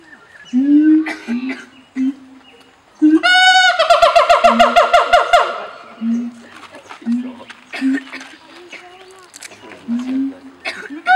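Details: Breeding pair of siamang gibbons on islands at Taronga Western Plains Zoo, Dubbo, duetting to claim territory and bond: deep, booming hoots broken by a loud, rapid burst of shrill barks and screams.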